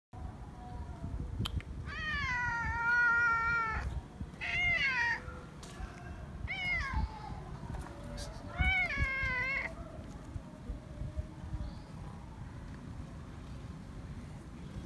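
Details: Friendly feral cat meowing for affection and not wanting to be left: four long harmonic meows with wavering, slightly rising pitch, spaced about two seconds apart, over low background rumble.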